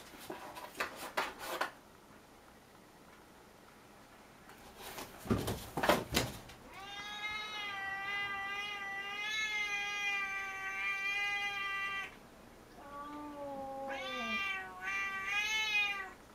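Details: Pet cat Puchi, furious at being disturbed while playing and glaring hard at Kuma, indoors: a few thumps and knocks, then a long drawn-out harmonic yowl, followed by wavering rising-and-falling meows and growly cries.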